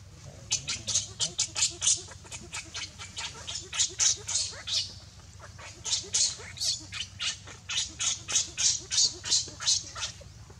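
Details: Baby monkey named Leo, hungry and crying to beg its mother for milk: a fast, steady series of shrill, high squeaky cries, about three per second, in short rhythmic bursts with brief pauses between runs.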